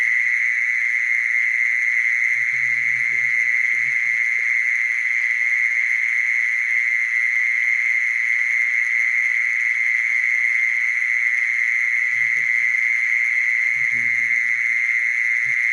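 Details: Unbroken, monotonous churring of a mole cricket runs the whole length at constant pitch, while brief soft low thumps or rumbles come and go in the background.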